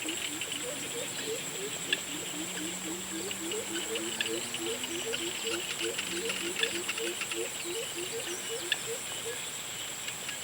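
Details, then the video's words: Frogs calling at sunset: a steady run of short, low, clipped notes, several each second, overlapping into a chorus, with a longer low drawn-out tone in the middle and constant high insect buzzing behind. "Sunset sounds of frogs"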